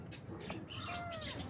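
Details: Baby kittens on their first morning: one thin, high meow slides gently downward over about half a second, while sharp bird chirps sound in the background.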